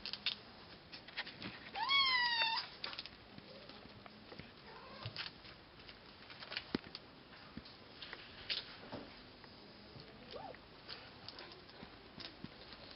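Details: Cashmere and Bengal kittens playing indoors on a person give one short, high, wavering meow that rises then falls. Soft rustling and handling noises fill the rest.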